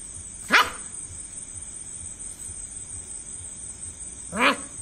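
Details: German Shepherd puppy barking at a cockroach: two short, sharp yips about four seconds apart, each sweeping from low to high, over a steady high-pitched electrical whine and faint background hum.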